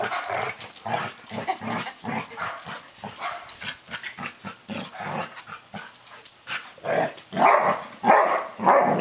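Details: Dog meeting another dog: a long run of rapid, low, pulsing grunt-like growls, then louder, higher barks breaking out near the end.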